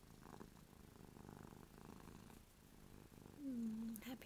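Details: Happy, drooling pet cat Ruby purrs softly indoors. The low rumble is clear for the first half, then fades under a short, louder voiced sound that falls in pitch near the end.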